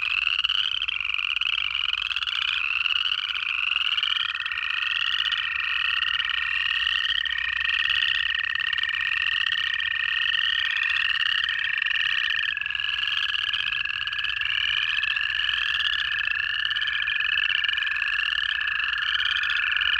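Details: Native frogs chorusing in Georgia during January: shrill upslurred peeps repeat roughly every half second, packed closely together, while a steady lower whistle-like tone runs through most of the recording.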